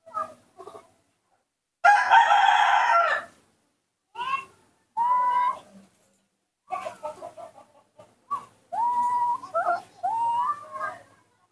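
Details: Young pet monkey calling out while its father is away: short clear whistled coos, some rising, others arched or falling, given singly and in quick runs, with a loud rooster crow breaking in early on.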